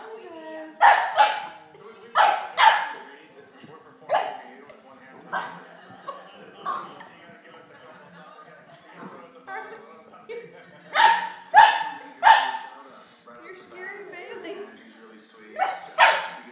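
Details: A dog, worked up and acting crazy over another dog's bone, lets out sharp, repeated barks in clusters of two or three, with pauses filled by soft whining and human speech.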